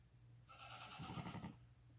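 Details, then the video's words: A single clear, wavering cry from a newborn lamb under five hours old, nursing with its mother; one loud, half-second bleat over a low steady hum. "Newborn lambs walking, crying, and nursing with mother"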